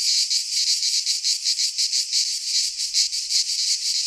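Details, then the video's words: Several cicadas in a Greek pine forest in midsummer produce a high, hissing, rasping drone that swells and fades in rapid rhythmic beats, close to three per second. "Cicadas singing in midsummer - Nature sounds from the Greek fauna - Sounds of cicadas"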